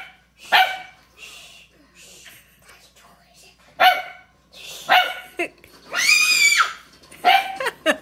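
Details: Puppy in its first week in a new home, barking for the first time and seeming to like how it sounds. A few short, sharp, high yappy barks are spread out among children's voices, with one longer, higher squeal near the end.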